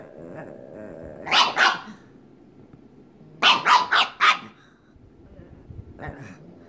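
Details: A pug playing with another pug: quick bursts of sharp, rough barks, two then three in fast succession.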